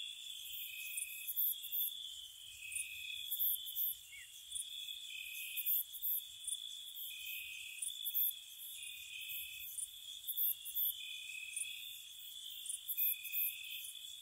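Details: Crickets at night in spring outside a cottage: constant high trilling, with a lower trill breaking into bursts of about one second roughly every second and a half, plus crisp very high chirps throughout.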